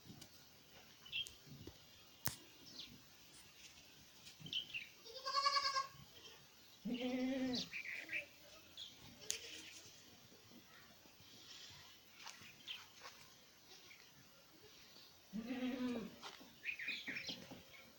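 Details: A newborn goat kid, recorded 13 January 2025, gives several quavering, nasal bleats between quieter background sounds.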